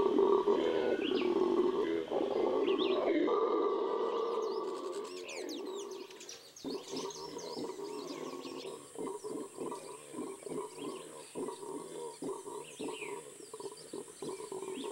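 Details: Venezuelan red howler monkey in the Amazon: a loud roaring howl fades after about six seconds into quieter, rapid pulsed grunts, while birds chirp and whistle high above.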